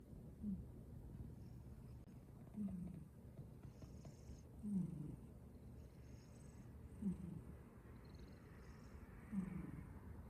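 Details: A sleeping cat snoring softly indoors, low rumbling breaths repeated about every two seconds, each ending in a faint catch, over a steady low hum with a quiet high whine above.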